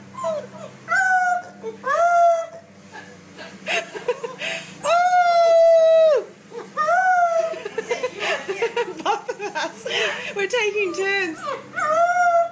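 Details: Puppies crying and howling: long, steady, tonal howls with clear harmonics, some held about a second, interspersed with shorter rising and falling whines; human voices murmur faintly in the background.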